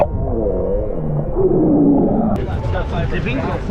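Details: Young whale in distress, entangled overnight in a shark net off Mermaid Beach, Gold Coast, Queensland, early in the migration season: wavering, tonal underwater moans over a low rumbling drone, with brighter hiss joining partway through.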